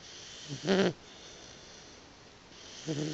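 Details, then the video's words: Roxie, a Boxer puppy napping indoors, gives a short snorting snore with a rough, vibrating buzz, then a quiet breath, before a second snore begins at the very end. "Roxie the Snoring Boxer Puppy"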